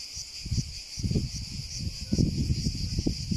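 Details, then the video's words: A cicada's continuous high, pulsing buzz runs under loud irregular low-pitched thuds and rumbles, which come in bursts around the first and third seconds. "Sounds of the cicada"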